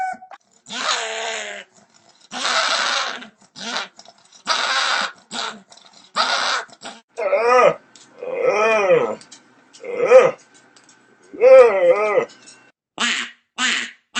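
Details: Dog sounds: loud separate bursts, first harsh rasping bark-like cries, then longer whiny yodeling calls that rise and fall in arches, spaced about one to two seconds apart, indoors.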